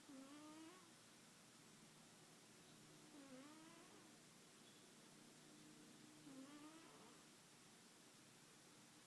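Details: A pet cat asleep and snoring, a soft nasal tone with a dipping, harmonic contour repeating roughly every three seconds over steady background hiss.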